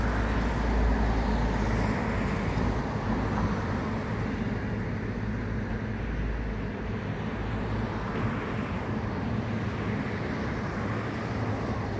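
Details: Steady low rumble of city traffic and passing motor vehicles fills the recording, with no animal sound audible.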